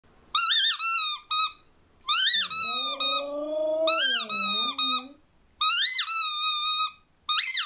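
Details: Female Siberian Husky indoors answering a squeaky ball: shrill squeaky-toy shrieks come in repeated bursts, and between them the dog gives a long, wavering howl of about three seconds that climbs from low to higher.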